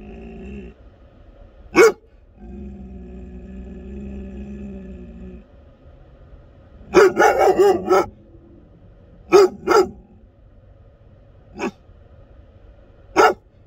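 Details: American Akita barking loudly: an opening single bark, a low rumbling stretch, then a rapid burst of several deep barks, a double bark, and scattered single barks spaced a couple of seconds apart.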